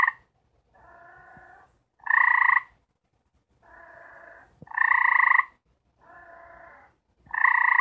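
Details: Gray treefrog mating calls from four frogs kept together and trying to mate: loud pulsed trills about half a second long alternate with softer, lower trills from another caller, the exchange repeating steadily every couple of seconds.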